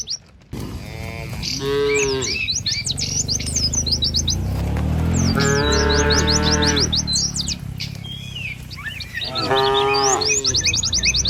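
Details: Cattle herd driven by a herder along a village road among green trees and wide rice fields: three long, deep, harmonic moos, each lasting one to two seconds, with steady high chirping birds overhead throughout.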